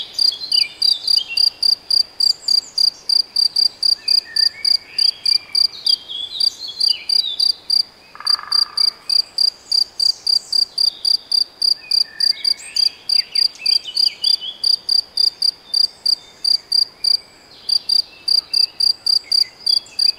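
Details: Chirping of a cricket or bush-cricket in the Nagyerdő forest at Debrecen, Hungary; a sharp, high-pitched pulse repeats rapidly and evenly, roughly 3–4 per second, with brief gaps, while birds twitter and whistle behind it.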